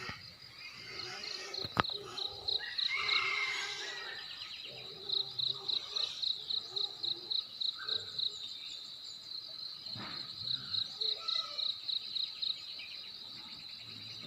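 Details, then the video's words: Crickets heard at daybreak in the hamlet of Belus Bikase, Ki'e, TTS, East Nusa Tenggara: bursts of rapid high chirps, evenly spaced, alternate with bird calls, a sharp click and faint outdoor noise. "Suara Kokok Ayam, kicau burung dan jengkrik"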